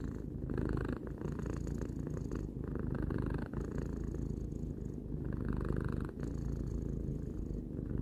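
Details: Pet cat Tarou, three years old, purrs contentedly: a steady low rattle pulsing in breath-length waves about once a second, with no other sounds beyond a soft airy hiss.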